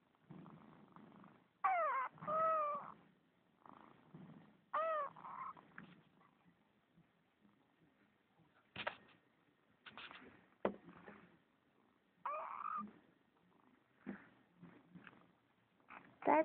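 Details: Pet kitten meowing in reply to its owner's voice indoors, several short arched meows with rising-falling harmonics at about 2, 5 and 12 seconds, plus quiet rustling and a few soft clicks between calls.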